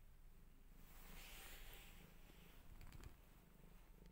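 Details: Mother cat, newly moved to a new house and trying to escape it, missing her old home, purring quietly: a steady low rumbling pulse throughout, with faint higher rustling and a few brief clicks near the end.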